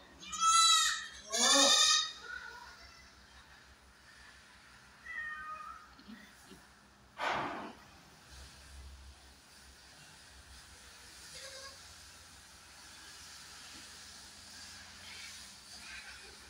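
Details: Kodi goat doe on a farm near Kadayanallur, Tenkasi District, that has given birth to four kids: two loud, wavering bleats in quick succession, then a few faint calls and a long quiet stretch of low background noise.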